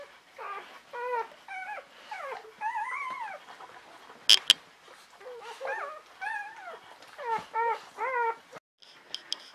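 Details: Newborn Czechoslovakian Wolfdog pups, five females from Orizon and Rahan born 21 November 2020, whimper in short, repeated, wobbling squeaks that rise and fall, in bursts about a second apart, with a couple of sharp clicks.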